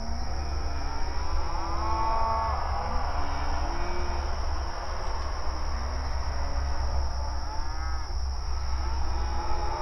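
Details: Open range cattle grazing outdoors: scattered, fainter moos, one clearer near the start and another near the end, within heavy low rumble and a continuous high-pitched whine.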